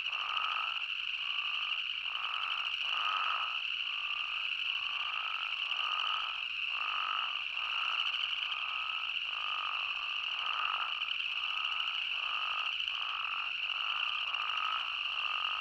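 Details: In Arizona, spadefoot toads call in a chorus: short bleating notes repeating over a steady high trill.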